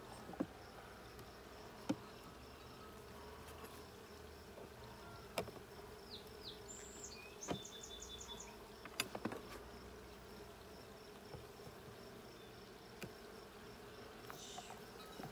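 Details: Honey bees in a blue hive during a hive check on 20 June 2022. A steady, low droning hum runs throughout, with scattered clicks and knocks and a few brief high chirping bird notes in the middle.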